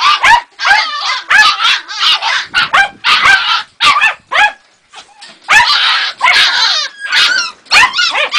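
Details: Two-and-a-half-month-old Jagdterrier puppy whimpering and yelping in loud, squealing bursts, some notes sliding up and down, broken by short pauses and a quieter stretch midway.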